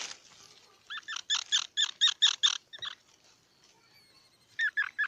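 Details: Squirrel calling in bursts of loud, evenly spaced, nasal squeaky chirps, about eight in a row, then a pause and a second shorter burst.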